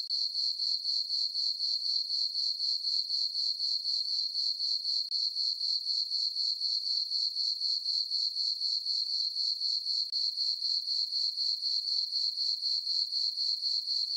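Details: Summer-night crickets in a moonlit farm meadow give a continuous shrill chirping, pulsed regularly about four times a second and unbroken throughout, with nothing else audible.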